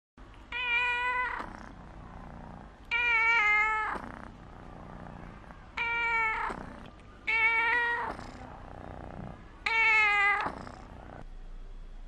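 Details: A young female orange kitten meows again and again, drawn-out nasal cries every two to three seconds, asking for attention like a spoiled child.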